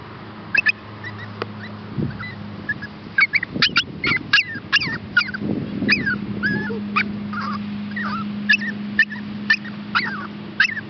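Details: Two rescue puppies up for adoption, a Chihuahua pup and a Shepherd hound pup, give high squeaky whimpers and yelps in quick irregular bursts. The cries bend upward or downward, and a steady low hum runs beneath them.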